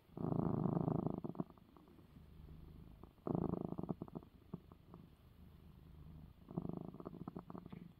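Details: A pet cat purrs after getting his eye medicine, three strong surges of low vibrating purr, each trailing off into fainter, broken rumbles before the next begins.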